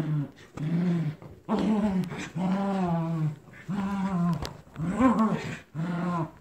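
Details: Two terriers, Captain Jack and Scarlett, in tug-of-war over a toy duck, growling indoors: low, rumbling harmonic growls in bursts of about a second, roughly one per second, with short gaps between.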